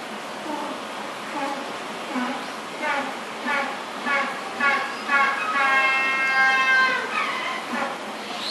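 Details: Asian small-clawed otter pup at Futami Sea Paradise, searching for its mother, gives shrill, squeaky 'pya-pya' cries about twice a second, rising into a longer drawn-out whine near the end.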